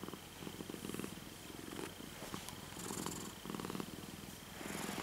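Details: A docile pet cat purring with a soft, rhythmic rumble in repeated bursts, under a faint steady high whine and occasional light clicks.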